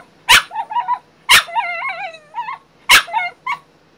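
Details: Frenchie Bailey, recovering from back surgery and confined to her crate, protests with three loud barks, each followed by drawn-out warbling, sing-song whines and yodel-like howls.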